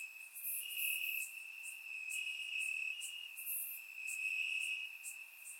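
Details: Crickets calling from grass on a warm Bulgarian summer night, surround-microphone recording: a high continuous trill plus overlapping rapid bursts of brighter chirps from several insects.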